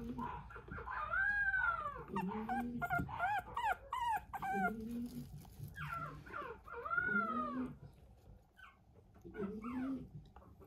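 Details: Maltese puppy whining and yelping in arched, wavering cries, bursts of several high calls then pauses, repeated over ten seconds indoors.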